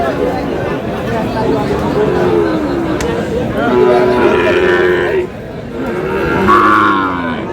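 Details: Sahiwal bull calves at the Aftabganj cattle market, Dinajpur, Bangladesh, on a Saturday; repeated long moos, one rising higher near the end, mixed with crowd murmur and people haggling over prices.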